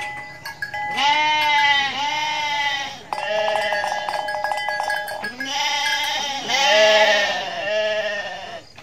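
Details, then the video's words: Mother goat in Indonesia giving a series of loud, quavering, harmonic bleats, several in a row with short gaps, broken midway by a brief rattling buzzy passage. "INDUK KAMBING LUCU BANGET BIKIN NGAKAK | SUARA KAMBING"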